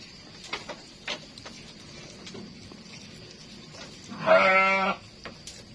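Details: One goat bleat, loud and nasal with a trembling, quavering quality, lasting about two-thirds of a second. Before it come a few soft knocks and a steady background hiss.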